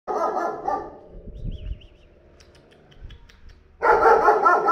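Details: A 40 kg dog newly brought to a neighbour's house: a burst of deep, rough barks, then a quiet stretch with faint background noise, then another loud run of barks.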